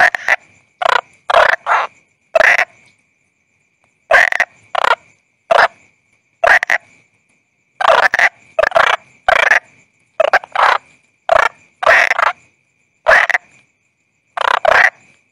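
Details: Rough, grating croaks from a toad, known as bangkong, delivered in irregular runs of two to four quick notes with silent pauses, about twenty-five notes in fifteen seconds, over a faint continuous high-pitched tone.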